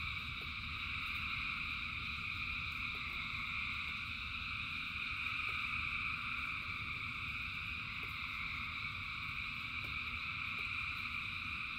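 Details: Frogs in rain, thousands calling together, form a constant shimmering drone of high trills that never pauses, with a deep rain rumble beneath and scattered soft ticks of drops.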